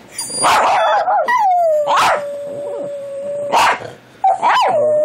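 A dog howls in long, wavering tones, with sharp yips breaking in between.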